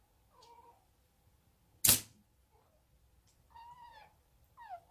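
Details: Five-month-old female odd-eyed short-legged Munchkin kitten chattering at a toy, having learned it from other cats: short, thin, chirping trills rising and falling in quick bursts, broken by one loud thump.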